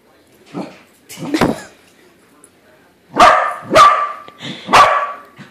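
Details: Pet corgi barking at a corgi-shaped balloon it has just discovered is not real; a few soft early yaps, then three loud sharp barks close together in the second half.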